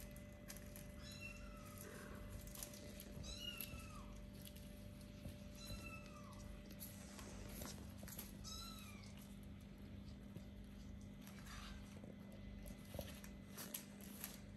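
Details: Little kittens about four weeks old, starting to play and look around, meow repeatedly in high, thin, slightly falling cries spread through the recording, several calls overlapping at times, over a steady low electrical hum and faint rustling.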